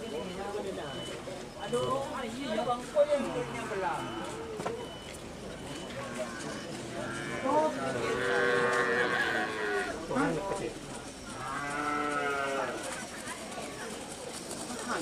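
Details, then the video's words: Large Madura racing cattle (karapan sapi) raging during practice at the Asemanis track in Pamekasan, Madura, East Java, Indonesia. Harmonic drawn-out lowing rises in bursts around the middle and end, mixed with shouting voices and crowd noise. "Karapan Sapi Besar Mengamuk Saat Latihan Di Lap Asemanis Pamekasan"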